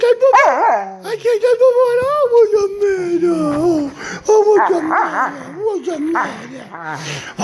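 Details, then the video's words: Pet dog 'talking': warbling, whiny tonal vocalizations that rise and fall in pitch, with a sustained wavering call in the first half, interleaved with people speaking nearby. "Our talking Dog"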